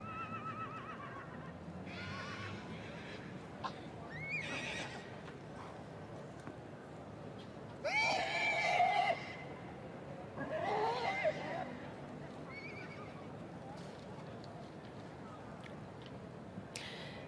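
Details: Shire horse at a championship show, two short whinnies with shaky, quavering pitch rising out of steady crowd and outdoor noise.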